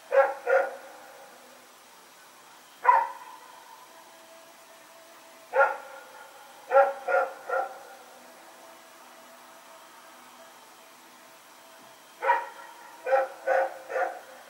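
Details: Rex, a dog running around at night, recorded September 21, 2018, barks in short sharp bursts: a double bark, a single, then scattered groups of two and three with long quiet gaps between them.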